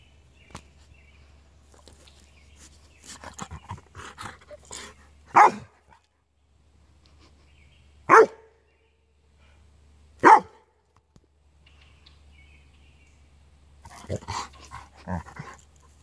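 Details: Tibetan Mastiff, recorded 7/11/2015: three loud, deep single barks spaced two to three seconds apart, framed by quieter rustling, soft scattered noises and a person's voice.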